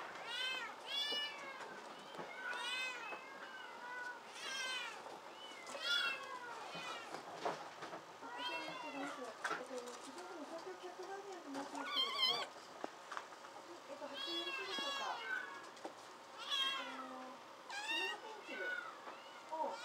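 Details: A crowd of rescued kittens at a protected-cat shelter cafe in Otsuka, Tokyo, mewing over and over: high, short, arched meows, several voices overlapping in quick bursts with brief pauses. Faint background voices underneath.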